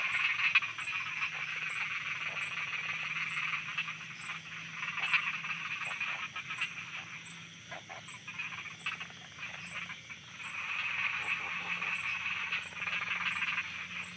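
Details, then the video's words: A night chorus of frogs in Thailand, dense overlapping croaks and clicks packed into a continuous wall of sound, surging louder at the start and again in the final few seconds, with a steady high insect-like ring above. "Thailand Night Frogs Soundscape"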